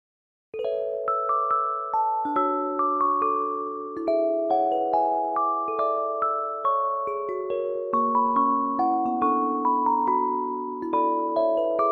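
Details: Gentle glockenspiel and marimba melody with ringing mallet notes in a slow lullaby-like pattern, starting after a half-second of silence, with no animal sounds.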